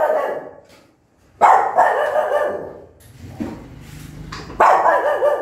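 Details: Angry mother dog barking loudly at her newborn puppies: harsh, broad barks in bursts, one near the start and others around one and a half and four and a half seconds, with a quieter gap between.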